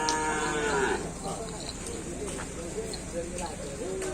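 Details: Bull racing cattle training for a karapan sapi event at the Tempuran field, Java: a short, falling moo in the first second, then fainter background murmur and crowd noise.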